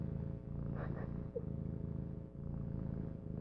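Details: A kitten purring close up, a steady low rumbling purr with a regular pulsing rhythm throughout and brief breathy sounds over it.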